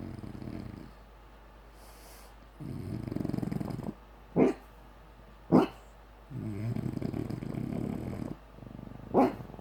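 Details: Sleeping female bulldog dreaming, alternating low rumbling snores lasting one to two seconds with three sharp, muffled sleep barks spaced about a second apart.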